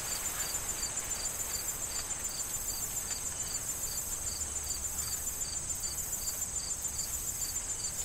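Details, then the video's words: Crickets in a corn field in autumn before harvest, with wind rustling the corn stalks: a steady high insect trill overhead and regular pulsed chirps about every third of a second, over a broad bed of rustling wind noise. "Corn Field Sound of Wind and Crickets"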